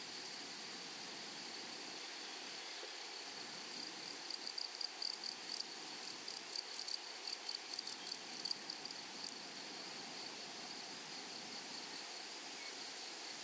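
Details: In a flowery prairie meadow, grasshoppers keep a faint, even high-pitched drone under broad background hiss, with a cluster of short scratchy chirp bursts between four and nine seconds.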